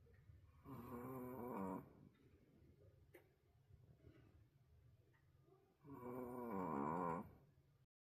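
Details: Loud indoor snoring from Roku, a wolf-sable Pomeranian, perhaps worn out: two long, wavering, buzzy snores roughly five seconds apart, each lasting over a second, separated by soft breathing.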